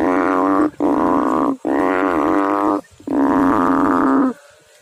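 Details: Deep, throbbing frog calls in water: three long, rough, droning notes in close succession, each lasting around a second, with a faint low hum after the last.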